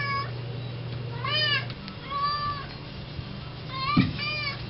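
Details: An indoor house cat begs at the front door to go out and eat grass, giving repeated arched meows roughly every second, with a low background hum and a single sharp knock.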